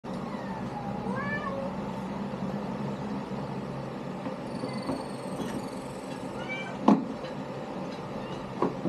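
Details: Kittens from a litter of cats give a few thin, high meows that bend up and then fall, spaced out over several seconds, above a steady low hum and faint clicks.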